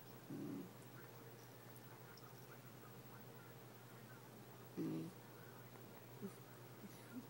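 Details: A female basenji makes two brief, low, grumbling vocal sounds several seconds apart over a steady hum, "talking" to a toy fox terrier about a toy.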